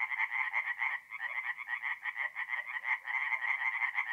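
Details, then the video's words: Tree frogs calling in darkness at a north-east Italian forest pond, mid-April; bursts of rapid harsh pulses, about three per second, overlapping, with one brief dip near the first second before the chorus resumes. "relaxing forest pond by night with singing tree frogs"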